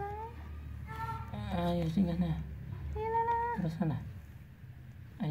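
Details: Village domestic cat about to give birth, giving drawn-out meows, some level and some falling in pitch, in a small indoor room while a person talks softly and urges patience.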